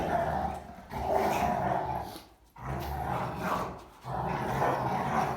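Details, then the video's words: Three German Rottweilers fighting, playing and wrestling make loud aggressive noises: rough, throaty growls in bursts about a second long, separated by brief quiet gaps, with snarling rising and falling throughout. "German Rottweilers Fighting, Playing, and Making Loud Aggressive Noises"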